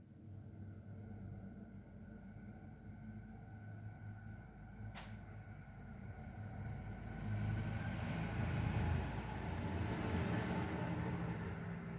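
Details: Steady low rumble like a passing vehicle or train fills the room, growing slightly louder in the second half, with one sharp click near the middle and no animal voice.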